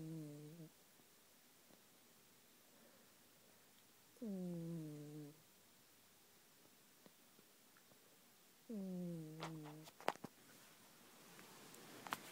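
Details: A sleeping domestic cat snoring indoors: three drawn-out, low, nasal breaths, each about a second long and sliding slightly downward, spaced roughly four seconds apart, with faint clicks and rustles near the end.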